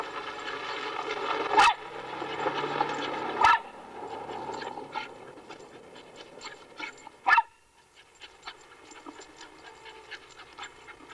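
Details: Dog running in circles on a leash in a backyard, panting steadily in a harmonic rasp, broken by three sharp loud clicks or knocks, then quieter breathing with scattered ticks.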